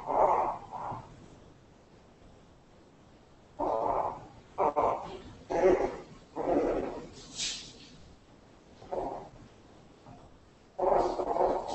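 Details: Teacup Pomeranian puppies, a male and a female, indoors; short yappy barks and whines in irregular bursts, some paired, separated by quiet gaps of a few seconds.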